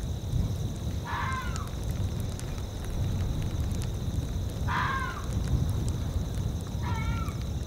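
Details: In a tundra soundscape, a fox gives three short, hoarse, slightly falling yelping barks spaced a few seconds apart, over a steady low rumble of wind.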